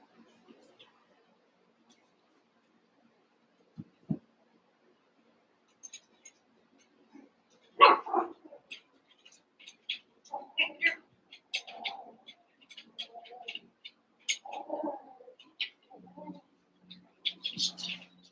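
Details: Cavalier King Charles Spaniel puppies, eight together after Daisy's six are merged with Robin's two, playing: scattered high squeaky yips and short whimpers, sparse at first, then busier from midway, with soft thumps of handling.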